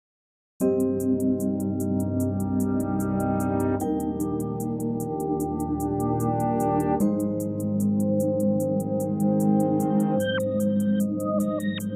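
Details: Steady synthesizer ambient music with sustained chords and a rapid high ticking pulse throughout, with a chord change near the end and no animal voice.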